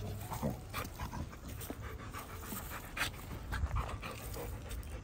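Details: Quick, uneven huffs of breath from Pit Bull dogs, panting in short bursts roughly several times a second over a low, steady background hum.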